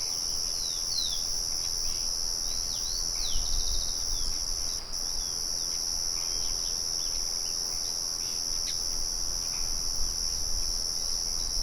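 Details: Crickets trilling in nature alongside birds, with a windmill murmur behind them. An unbroken, piercing high buzz dominates for the whole stretch. Quick descending bird chirps appear early on, and soft low rumbling bursts around three to four seconds.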